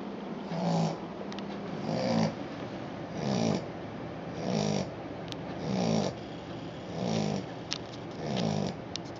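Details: Sleeping Australian Shepherd puppy snoring; low rasping breaths repeating roughly every one and a half seconds, each a soft rumbling buzz, steady and rhythmic in a quiet room.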